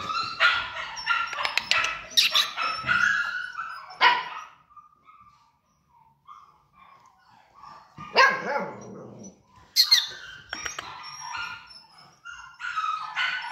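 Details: Pomsky x Samoyed cross yapping in short high bursts separated by quiet stretches, with a soft thin whine in the gap near the middle.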